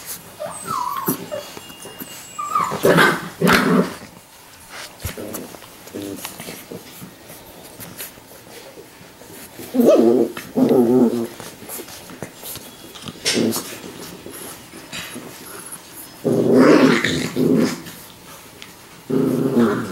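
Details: Five-week-old Labrador Retriever puppies making short rough growling and grumbling bursts every few seconds amid scuffling, handling noise and some human voices.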